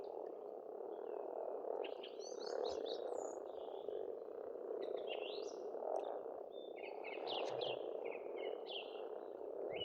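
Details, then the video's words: Massed frog croaking from a farmstead pond in Estonia during spring forms a constant low rumble, broken by scattered sharp chirps and twitters from birds. "Расслабляющее пение птиц и лягушек, весна, природа."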